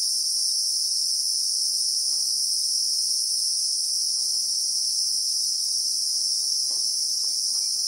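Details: Real-time sound of the Christmas beetle (Anoplognathus) in South Africa's acacia bushveld: a uniform, sustained high shrill in layered tones, with only scattered faint clicks below.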